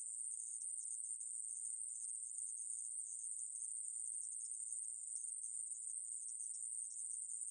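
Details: Continuous shrill drone of a conehead katydid, known in Korea as aemaeburi, from the National Institute of Biological Resources, 2020; the even, very high buzz runs without a break from start to end, nothing else heard.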